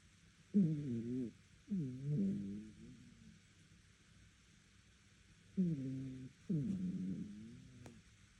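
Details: Dog snoring in its sleep, loud enough for neighbours to hear: four low, moaning, whistly breaths in two pairs, each pair followed by a long silent pause, pitch sagging toward the end of each snore.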